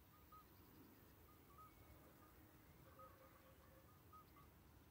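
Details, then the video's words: Common midwife toads call by day on the Schaelsberg near Valkenburg, South Limburg, Netherlands, unusually, as they mostly call on warm evenings after dark; short, pure, bell-like piping notes, several callers answering one another. "Roepende vroedmeesterpadden op de Schaelsberg bij Valkenburg"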